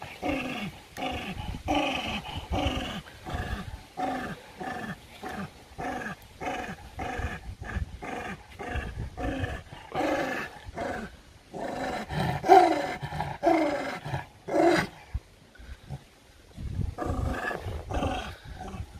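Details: Dog turning aggressive while fighting over food: steady chain of short grinding growls, one after another for most of the stretch, with a couple of louder snarls and a brief lull before renewed growling.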